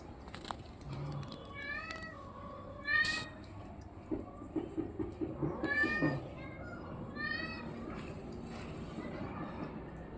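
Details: Domestic cat, orange and white, heard in short rising-falling meows around the second mark, a louder yowl near three seconds, then a burst of pulsed low growling and more meows, with background noise throughout.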